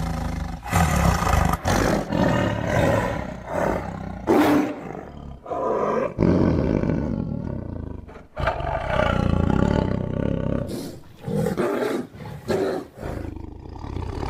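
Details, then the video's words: Tiger giving a series of deep, rasping roars and growls, each loud burst lasting one to two seconds, broken by short pauses and sharp gasping breaths between outbursts. "Awesome Tiger Voice Sound"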